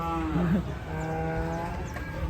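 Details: Cattle being unloaded from a truck give a long, low moo with richly stacked harmonics lasting about two seconds, over a steady engine-like rumble and excited human voices.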